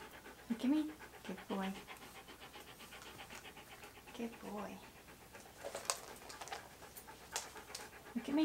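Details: Key, a pet Siberian Husky being posed in hats and outfits for photographs, pants steadily in rapid rhythmic breaths. A few short, higher tonal squeaks and brief louder bursts break through the continuous breathing.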